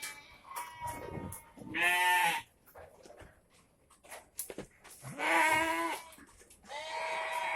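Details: Shed goats awaiting their evening feed: three loud, quavering bleats at roughly two-second spacing, each a rich, buzzy cry, with faint rustling and knocking in the background.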